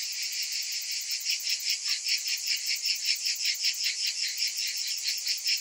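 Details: Cicadas calling in summer: an unbroken shrill buzz with a fairly regular pulsing rhythm of roughly two and a half throbs per second.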